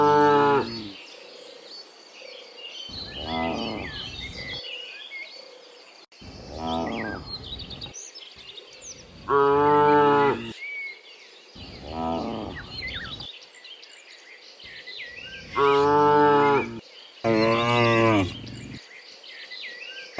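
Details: Morning moos from cows coming in from the field to the pen. Around seven lowing calls, some brief and some long and loud, are spread irregularly through the clip, while birds chatter in the background.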